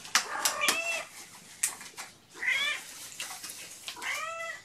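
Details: Mother cat Gamora, with five kittens born April 14, calls indoors for the babysitter on the morning of 2018-06-06; two rising-then-falling harmonic meows come near the end, after sharp clicks and rustling.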